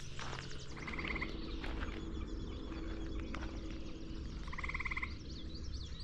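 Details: A gray tree frog calls from the side of a trail near marshes and shrub thickets on the K&P Trail south of White Lake Road around 6:30 on a warm May 16, 2025 morning with rain approaching: two short, musical pulsed trills, scattered bird chips, low wind rumble.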